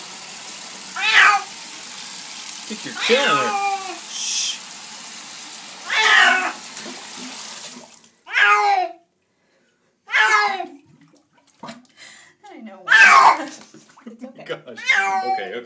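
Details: Black and white female cat, very vocal about hating her bath, yowling indoors by running tap water; loud harsh meows repeated roughly every two seconds, each sliding downward, over a steady hiss of water.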